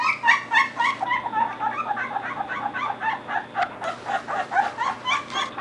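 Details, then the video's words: Litter of three Belgian Shepherd puppies at thirteen days old, eyes open, chirping away in a busy chorus of short high squeaks and yelps, pulsing several per second over a faint constant hum. "The Bomb Squad Chirping"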